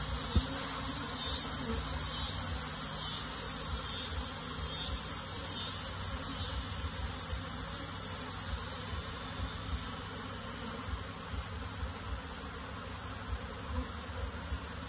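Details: Moving a honey bee colony into a box, the mass of bees gives a constant deep droning buzz, a loud click at the start and scattered soft knocks over the steady hum.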